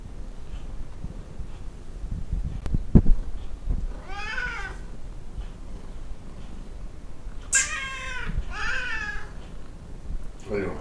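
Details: Talkative Tonkinese cats, Lu and Barney, a domestic Siamese-Burmese cross breed: three drawn-out, bending meows, one near the middle and two close together later, after a sharp click, in a quiet indoor setting.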